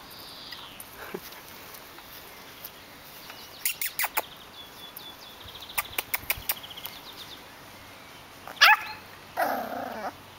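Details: Seven-week-old puppies at a breeder's kennel during early training in balance and height differences, such as crossing a pond bridge and riding a swing. Sparse high yips and clicks, then a sharp cry and a short falling whine near the end.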